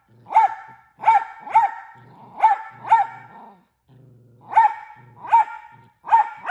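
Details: A Miniature Australian Shepherd, an extremely frequent barker that barks more than once a second, barks sharply and repeatedly, often in quick doubled bursts.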